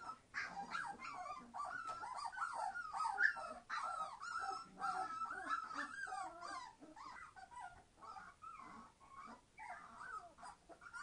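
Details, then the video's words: Noisy three-week-old Entlebucher Mountain Dog puppies from a litter born 26 September 2015, several voices whimpering and squealing at once in a continuous, overlapping stream of wavering high cries. "Entlebucher Mountain Dog puppies 21 days old - being very noisy!"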